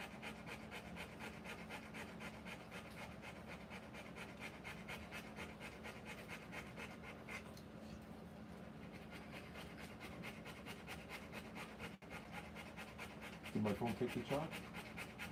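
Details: Rottweiler panting while giving birth to puppies, rapid rhythmic breaths about two per second with a steady low hum throughout and a brief louder burst near the end.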